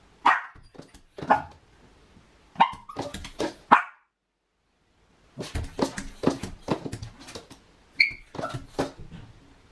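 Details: Anxious female Miniature Pinscher left home alone barks in rapid, irregular volleys of sharp, high yaps, pauses silently for over a second, then resumes a dense run of barks mixed with whimpers in a small room.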